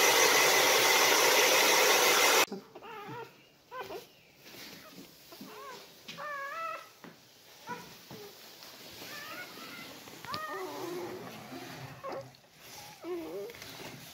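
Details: Siberian Husky whelping indoors as puppies are born: a run of thin, high squeaky whines, each briefly arching up and down, coming in quick irregular bursts, opened by two seconds of loud hissing noise.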